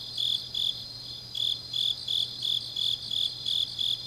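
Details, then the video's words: Grass insects singing on a deep autumn night in Changnyeong, Gyeongnam, South Korea: high, bright chirps pulsing about three times a second, with a brief pause near the start, over a steady shrill trill and a faint low hum. "깊은밤 가을 풀벌레 소리"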